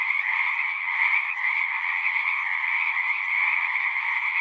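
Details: Chorus of many frogs at a pond in a horse pasture, recorded with a Zoom 6: dense, continuous trilling in two steady high bands, no pauses, unbroken wall of overlapping calls.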